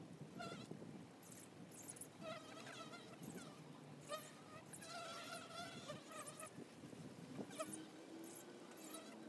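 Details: Honey bees at the entrance of a hive: many overlapping wavering buzzes as bees fly past, each drone rising and falling in pitch, with bursts of higher whining tones and a few soft taps.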